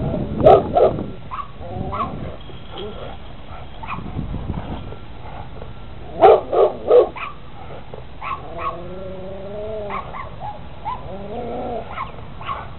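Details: Big Rottweiler wearing a red studded collar, running in circles and back and forth along a fence, jumping on it; loud clustered barks at about half a second and six seconds, with whining, tonal whimpers between.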